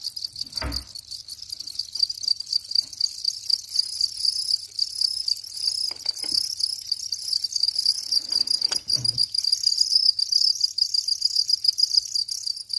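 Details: Shrill, metallic chirping from a house cricket, pulses packed tightly and holding one high pitch for the whole stretch, interrupted by a few short knocks and a low electrical-sounding hum.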